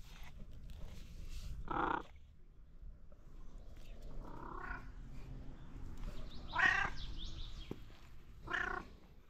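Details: Stray mother cat with sick kittens in Morocco, receiving care; a series of clear, tonal meows about every two seconds, each short and rising then falling, over a low background rumble.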